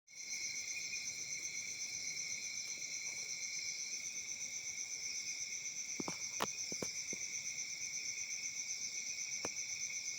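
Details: Crickets chirping on a peaceful summer night in Africa: a steady, shrill, high-pitched chorus pulsing about four times a second, with a few sharp clicks and taps around the middle.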